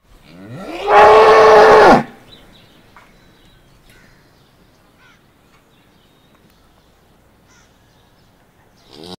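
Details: A village cow gives one loud, drawn-out moo lasting about a second, then quiet farmyard background.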